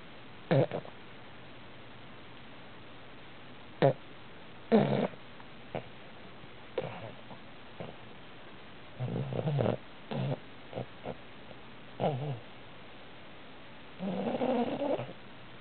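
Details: A 9-month-old Boston Terrier snores in short, rough, breathy bursts at uneven intervals.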